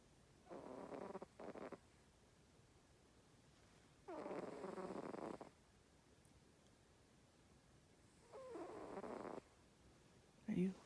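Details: Female house cat crashed out at nap time, snoring in uneven breaths: a broken double snort, a longer rasping breath, then a softer one, with a faint woman's voice at the very end.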